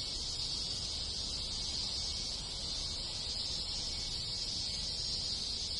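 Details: Summer countryside of rural Japan, where a crowd of cicadas and other insects keeps up an unbroken sizzling hiss, high and even in loudness throughout, with faint low background noise underneath.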